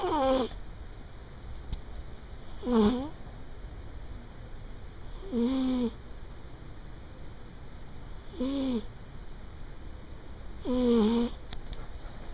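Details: Elderly female pet cat, aged 15, asleep on a bed corner at midday, snoring steadily: five drawn-out, nasal, tonal breaths, each gliding up and then down, repeated roughly every 2.7 seconds in a quiet room.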